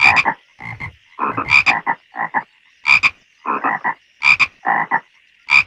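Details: Frog. Several frogs give harsh, pulsed croaks in quick clusters, each burst lasting a fraction of a second and returning every second or so. A thin, steady high-pitched trill from other callers runs underneath throughout.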